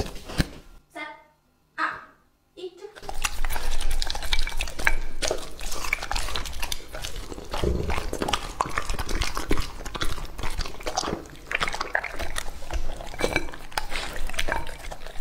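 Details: Lucky, a two-and-a-half-year-old male English Labrador Retriever, eats raw meat indoors. A brief human voice opens, then dense, irregular wet chewing and crunching runs steadily, with occasional bowl knocks.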